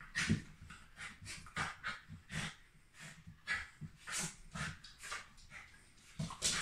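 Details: Happy Shiba Inu dog panting in rapid breathy bursts, roughly two to three per second, with airy hissing pulses and occasional soft low sounds.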